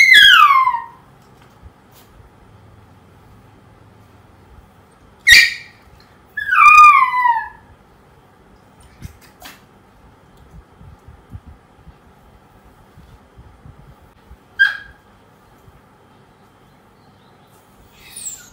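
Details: Poodle puppy whining after being left on its own: repeated high, quavering cries that slide downward, in bursts several seconds apart with quiet gaps, some short yelps between, inside a small room.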